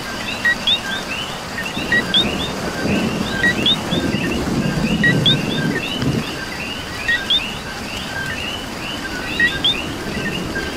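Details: Rain falling in Puerto Rico with a thick chorus of coqui frogs: many overlapping upswept chirps, a few louder two-note calls standing out, while a heavier burst of rain swells in the low rumble midway.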